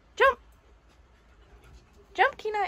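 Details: Siberian Husky puppy Kenai, indoors while a shih tzu chases him and he is coaxed to jump up onto a bed, gives two short harmonic whining yelps about two seconds apart, with a person's encouraging voice nearby.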